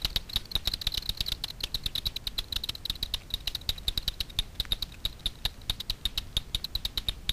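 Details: Foraging Daubenton's bats skimming Miedwie lake in north-west Poland for insects at night, rendered audible by a frequency division bat detector: fast, evenly spaced crisp clicks running continuously throughout.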